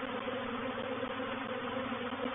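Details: Honey bees of a reproductive swarm settling into a swarm trap at Painted Peacock Manor, 04/07/21, make a continuous thick drone, many wingbeats blending into one even hum.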